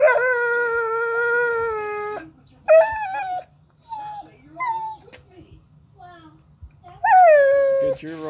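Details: Young Pocket American Bully, seven months old, gives a long steady whine, then shorter high whimpers with soft breathy gaps, and ends on another loud falling whine; faint low hum underneath.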